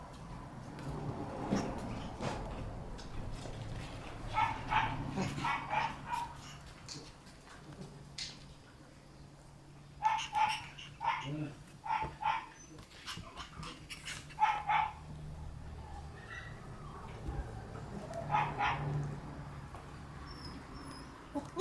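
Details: Red Shiba Inu female puppy born on 23 August, giving repeated short, high-pitched yips and small barks in irregular runs, with a low hum underneath throughout.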